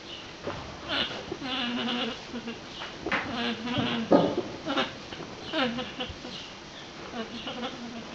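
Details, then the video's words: Female alpacas give wavering, nasal, bleat-like calls with harmonic tones, some rising and falling. "Funny Alpaca Noises"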